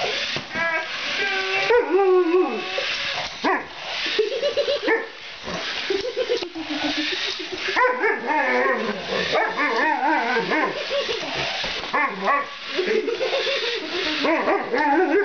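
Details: Alaskan Malamute playing with a remote-control Spider-Man toy, giving a long run of wavering, harmonic, talkative yowls and whines that rise and fall, with short barks mixed in and little pause between them.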